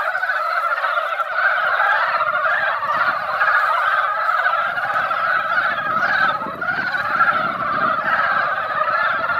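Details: After a rain that only dampened the ground, mountain frogs crowd a hillside pond and fill it with sound. Massed, throbbing croaks overlap continuously, with a low rumble of background noise through the middle of the recording.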